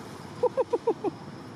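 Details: Temple monkeys in Cambodia, babies playing happily together in their troop family: five short, clear tonal chirps, each slightly falling, in a quick run lasting under a second over a low steady hum.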